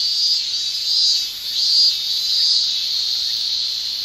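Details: Japanese summer cicadas, males singing by tymbal, give a dense, piercing buzz with faint pulsing surges and a short dip in loudness midway.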